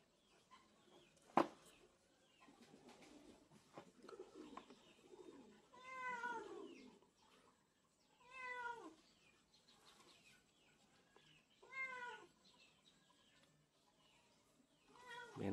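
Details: Young male Texel guinea pig, a curly-coated breed, makes a series of short arched squeals in bursts roughly every three seconds, with a sharp knock near the start and quiet rustling throughout.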